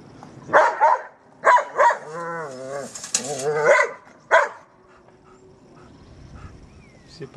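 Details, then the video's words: German Shepherd at play with a trolley: scattered short barks, a brief wavering whine between them, then quieter stretches with faint rustling and a distant voice. "German Sheperd dog plays with trolley"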